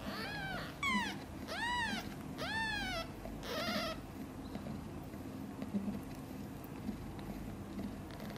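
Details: Domestic kitten a few days old, one of a litter of five born to mother cat Chan, gives four high, arching meows in quick succession over about three seconds, then a short rustle and quiet indoor background.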